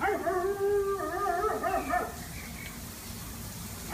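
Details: A dog howls after four hours of trying to catch a squirrel: a sustained, wavering, harmonic tone lasting about two seconds that slides up and down, then fades to quiet before another cry begins at the very end.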